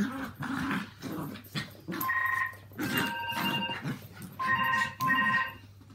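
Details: Walt and Milly, Yorkshire Terriers aged three and four, and Harvey, a two-year-old Maltese, play together through their mad half hour. Short rough growls alternate with clear, tonal whining squeals, heard in four or five separate bursts.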